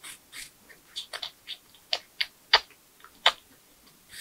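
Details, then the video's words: Tree porcupine feeding on nuts, bananas, sweet potatoes, apples and carrots, recorded close up for ASMR: loud, crisp crunches and snapping bites come about once every second, irregular in spacing, on a quiet background. "(ASMR) 트리포큐파인 Trypocupine Eating"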